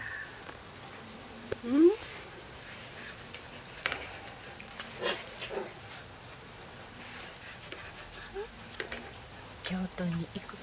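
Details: A corgi puppy gives a brief, sharply rising whine, followed later by a few soft squeaks; recorded 12 August 2013.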